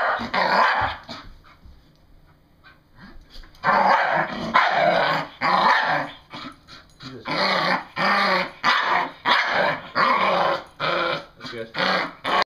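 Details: Having fun and excited, a female English Bull Terrier lets out hoarse growl-barks, a few at first, then a quiet gap of about two seconds, then steady rasping bursts repeating roughly every second.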